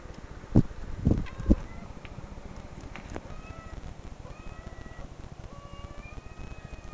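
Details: Recorded cat meows played back to a pet named Sakari, who growls protectively; after three loud thumps, a series of clear drawn-out meows, some rising, some level, repeated every second or so over a low rumbling background.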